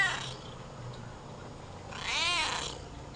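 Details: Friendly homeless stray six-toed black cat, filmed July 27, 2010, gives a single drawn-out meow with a rising then falling pitch, over steady low background hum.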